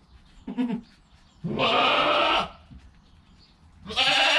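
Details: Newborn goat kid less than an hour old calling beside its calm mother: a short faint bleat, then a long harsh, bright bleat lasting about a second, and another starting near the end.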